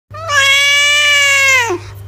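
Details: Domestic cat giving a single long, clear meow of about one and a half seconds, held at a steady pitch and then dropping briefly at the end, with a low electrical hum beneath.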